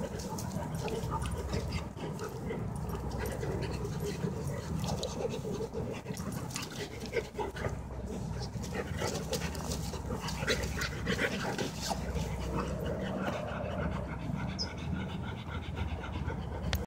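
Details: Dogs playing together, a Labrador named Moby with his best friend Billy, a Retriever; steady rough breathy panting runs throughout over a heavy low rumble and scuffling, with faint voices in the background.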